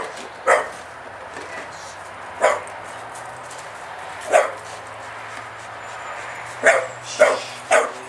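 A Staffordshire Bull Terrier gives short, sharp barks at irregular intervals, reacting fearfully to a spade.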